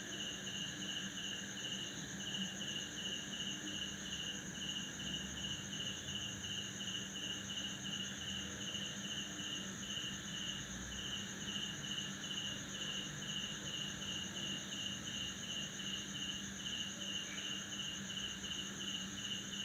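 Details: At midnight in a tropical backyard in Indonesia, right after a heavy December downpour, male crickets give a continuous high-pitched trill of rapid pulses by rubbing their wings to attract females, with frogs croaking, other insects humming and a faint low drone.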